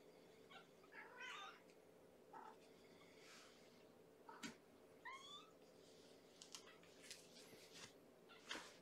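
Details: Bedtime feeding for a starving foster kitten girl, Amber, from Gamora's litter of five born April 14: several brief high mews scattered through the stretch, with rustling and soft clicks indoors.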